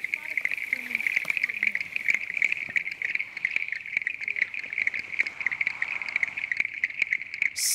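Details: Male clicking stream frogs give their advertisement call, a steady chorus of rapid, high, ticking clicks calling females to the breeding site, in Eastern Cape montane habitat near Hogsback.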